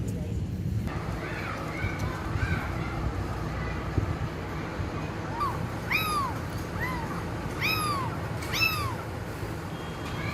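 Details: Kitten meows: after faint, thin cries early on, about six loud, high, arching mews with bright overtones come in quick succession from the midpoint, each rising then falling, over a steady low rumble and murmuring background.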